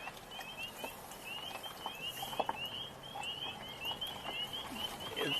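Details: A frog chorus on a spring walk on 4 April 2026, near singing red-winged blackbirds and ducks, gives quick, high, shrill chirps overlapping steadily throughout, with a few faint knocks and rustles underneath.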